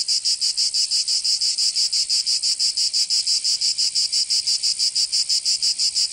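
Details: Cicadas in summer in Provence, France, producing a piercing high buzz chopped into crisp, evenly spaced pulses about three each second, a steady throbbing drone with no other sound.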